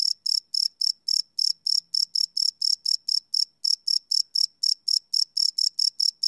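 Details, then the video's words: Crickets at night, recorded live on a field recorder, give rapid high-pitched ringing chirps, slightly uneven in spacing, around three to four per second without pause. "Cricket Chirp Sound - Cricket Sounds at Night"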